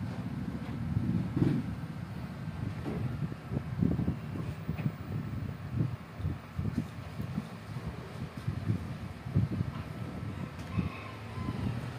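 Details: Low rumbling vehicle-like noise and wind buffeting dominate, with faint thumps and no clear animal voice.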